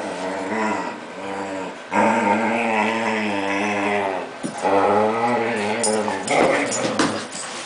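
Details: Excited six-month-old male Whippet reacting to a familiar person's name indoors; long, wavering harmonic whine-howls, sustained for several seconds and rising and falling in pitch, with brief breaks and some rustling.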